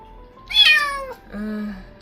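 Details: An abandoned stray kitten, crying all night, gives a high, drawn-out meow that slides downward, crying for its missing mother.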